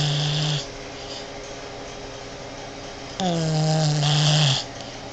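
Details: Female Boston Terrier snoring like a man while sleeping indoors in bed with her owner: two loud, deep rumbling snores, the first short and the second about one and a half seconds long with a slightly falling buzzy tone, separated by quiet breathing.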